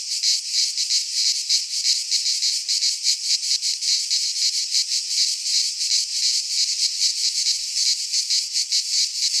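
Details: Midsummer cicadas sing in a pine forest in Greece: a continuous high, hissing drone with fast rhythmic pulsing, the loudness wavering slightly but never stopping.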